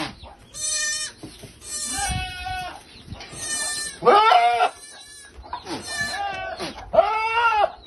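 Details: Male goat pursuing a female for mating, with a string of strong, wavering bleats, about six in eight seconds, each roughly half a second long and richly nasal, with brief quieter gaps between.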